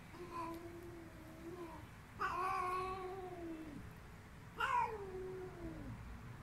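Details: Female cat screaming: three drawn-out wailing yowls, each a few seconds long, starting high and harsh then sliding downward, with a steady low background hum.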